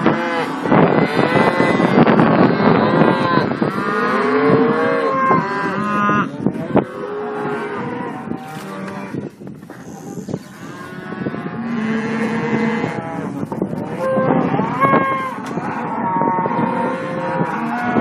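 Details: Simmental calves on a livestock farm in Kars, Turkey, mooing together: many overlapping bellows and bawls of varying pitch rise and fall continuously, forming a dense, noisy herd chorus with a low background rumble.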